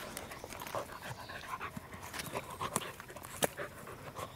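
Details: Roku, a corgi out on a walk on 1 November 2021 as ginkgo trees start turning yellow, pants in quick, breathy, noisy bursts, with faint clicks and rustles from the outdoor surroundings.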